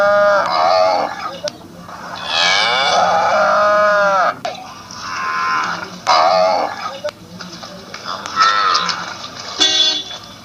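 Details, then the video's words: Assam cow mooing repeatedly, long harmonic moos with bending, wavering pitch separated by short gaps, some calls loud and rich, others softer; light background noise and brief clicks. "Funny Cow Sounds || Cow's Sounds Effect"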